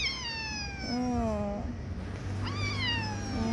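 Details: A talkative outdoor neighbourhood cat in an alley meows twice in quick succession, long nasal whiny calls, the first drifting lower and the second swooping upward, over a low background hum.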